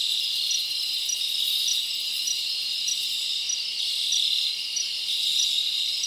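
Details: Many crickets chirping on a summer night in the forest: steady shrill chorus with crisp pulses repeating about every half second, no other sounds standing out.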